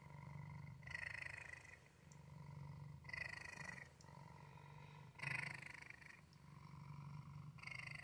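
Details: A male house cat purrs continuously; a deep, even vibration rises and falls with each breath in and out, roughly every two seconds, with a few brighter, louder phases.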